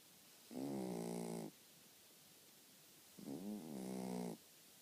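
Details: Sleeping pet dog snoring indoors: two long, rasping harmonic snores about a second each, roughly three seconds apart, with a quiet room between breaths.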